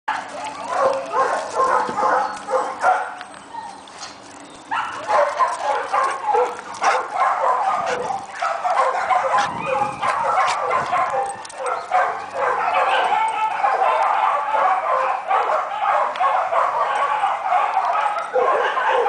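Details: Australian Cattle Dog at an animal shelter, available for adoption, amid a dense chorus of overlapping barks and yips from many dogs, continuous and loud throughout with a brief lull near three seconds.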